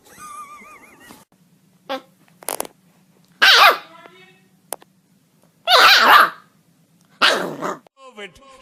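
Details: Dog in a funny compilation; bursts of harsh barking and growling come in separate loud blasts, with a squeaky whining voice at the start and a faint steady hum between the barks.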